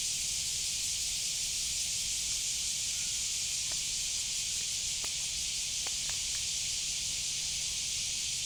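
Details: Cicada (semi) keeping up a dense, constant high buzzing hiss, with a few faint short clicks scattered through the middle.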